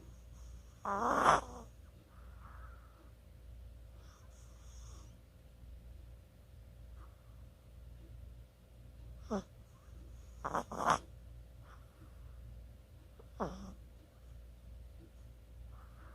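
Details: A Chihuahua asleep, recorded 24 October 2020: short scattered snorts and snuffly breaths break a mostly quiet background, with one louder rasping snore near the start and a quick double snort later.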